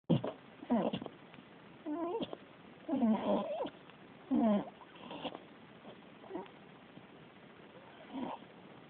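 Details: Sleeping beagle snoring, with voiced, rumbling harmonic snores recurring roughly every second, some louder and some faint, over a quiet room background.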